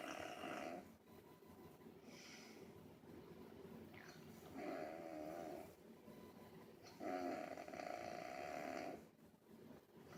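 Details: Angel Bear, a pet dog, snoring indoors: rough, buzzy snores in drawn-out bursts, the longest lasting about two seconds, spaced a few seconds apart, with quiet breathing between them in a small room.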